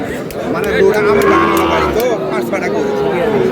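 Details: Sahiwal bull calves at a crowded cattle market in Bangladesh, bought by a farmer from Dhaka; drawn-out, wavering calf moos rise and fall in pitch, one bending upward near the end, over constant crowd chatter and voices.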